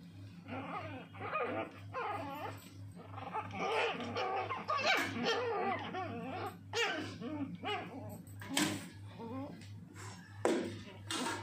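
Shih Tzu puppies growl, yap and whimper in high, squeaky bursts while play fighting.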